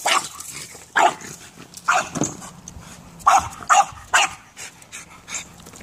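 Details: Excited French bulldog playing soccer lets out a string of high, sharp barks, about two a second in uneven rhythm, with soft movement sounds between them.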